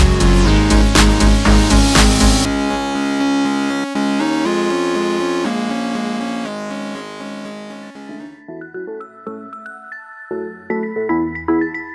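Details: Electronic music with synthesizer tones and a steady beat, heavy layered chords fading into sparse melodic notes.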